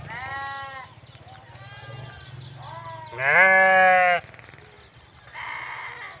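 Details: Several sheep and lambs bleating in quick succession, shaky nasal cries of varying pitch, one loud long bleat in the middle, over a low rumbling background hum.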